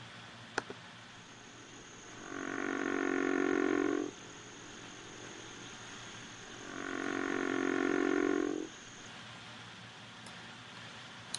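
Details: A river frog, large and low-voiced, gives two long, low, snoring calls, each about two seconds of rough rumbling.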